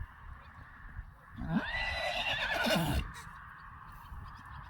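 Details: Whinny of a Friesian horse as the herd is led in, one lame: a drawn-out, wavering neigh of about one and a half seconds that dips in pitch at the end, over a steady background hum.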